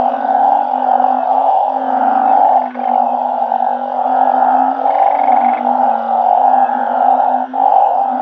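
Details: At night, banded bullfrogs and balloon frogs raised in a Thai backyard garden call all together. A thick, continuous humming drone with lower wavering tones drops out briefly twice.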